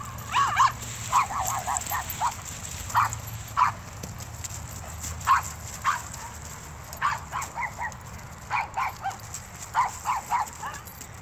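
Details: Connor, a 165-pound Irish Wolfhound, playing with a year-old Pit-Shepherd mix: short, mid-pitched barks and yips come in quick bursts of two or three, scattered irregularly across the stretch, over a steady low hum.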